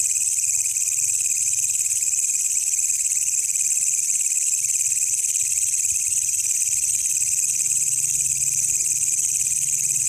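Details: At night, a wild walang kecek katydid, recorded as master material for songbirds, keeps up a continuous high-pitched hissing trill without pauses. Faint low hum sits underneath.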